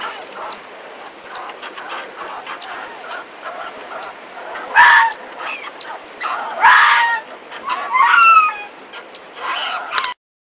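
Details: Arctic fox pups on Medny Island, Commander Islands, tear apart a northern fulmar their mother brought to the den, pushing each other. They give three brief, high yelping whines, some sliding downward, over steady wind hiss.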